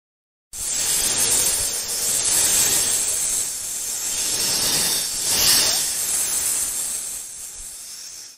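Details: Cobra hissing: a steady, breathy hiss lasting about eight seconds, swelling louder near the two-and-a-half and five-and-a-half second marks, with no other sounds present.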